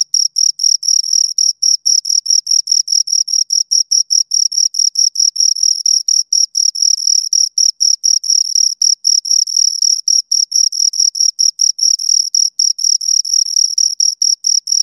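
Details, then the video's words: Chirping from two crickets, dense and rapid, the high pulses packed closely with small irregular gaps and occasional overlaps, loud and continuous throughout against a silent background. "Two Crickets Chirp Sounds"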